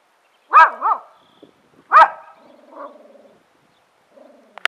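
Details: Huge neighbour's dog of about 160 pounds barking at the person filming him: two loud woofs a second apart, followed by softer grumbling growls and a faint click at the end.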